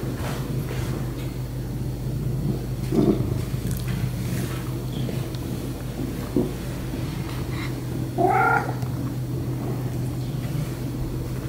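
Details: Happy domestic cat purring steadily in a low, continuous rumble throughout, with a brief higher meow-like chirp near the end and a few soft clicks.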